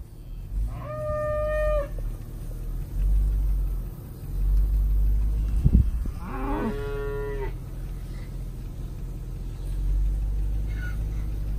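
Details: Angus, Brangus and Black Motley Face cows with newborn to older calves, cow-calf pairs on a ranch: a short tonal moo, then a louder, lower drawn-out moo, with a faint third call near the end and steady low rumble of wind or engine.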